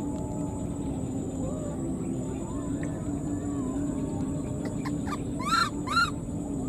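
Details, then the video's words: Abandoned wild newborn monkey keeps calling for its mother: near the end, two loud rising-then-falling wailing cries about half a second apart, after a long quiet stretch of steady low background hum. "the wild newborn baby monkey was left behind and keeps calling for its mother"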